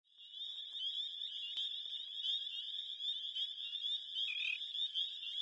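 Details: Dozens of thumb-tip-sized spring peepers call at Crex in spring, after winter's end, their countless high, piercing peeps blending into one continuous shrill ringing.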